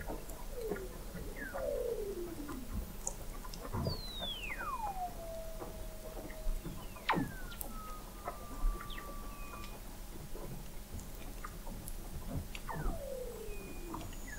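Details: Weddell seals singing under thick sea ice at McMurdo Sound, Antarctica, recorded November 2017 by the McMurdo Oceanographic Observatory 21 m below the ice; long descending whistled sweeps gliding into steady tones, overlapping callers, scattered clicks and chirps.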